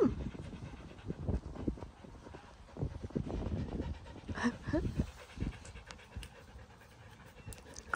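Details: Samoyed dog panting: uneven bursts of heavy breath that come and go, with a brief voiced sound in the middle.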